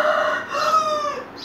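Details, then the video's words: Domestic cat giving one drawn-out, tonal meow of about a second and a half, steady in pitch with rich harmonics, fading at the end, indoors with a person talking to it just before and after. "The Beutifull Cat !! Talking Me Leave For Sleep."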